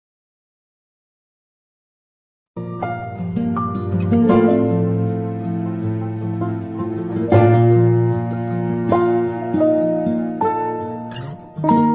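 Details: After two and a half seconds of silence, gentle plucked harp music plays with no animal sounds.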